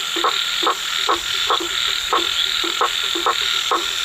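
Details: A frog calls at night with short, knocking croaks about twice a second over a steady insect hum.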